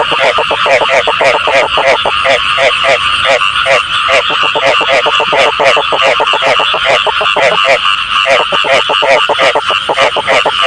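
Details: Chorus of frogs used for catching them by hand: rapid buzzy croaks in tight rhythmic bursts, overlapping callers, one brief lull near the eighth second before the calling resumes.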